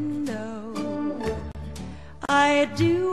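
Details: Country-style music with a guitar and a singing voice fills the whole stretch.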